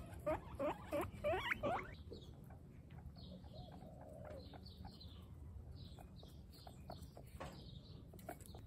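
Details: Pet guinea pigs from a group of twenty-six females on a running training day; a quick series of rising squeaks opens, then softer short chirps recur amid rustling and patter.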